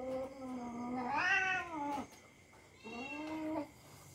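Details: Domestic cat play-fighting with a young dog indoors: a long drawn-out meow rising then falling, followed after a pause by a second shorter moaning meow, low steady hum behind.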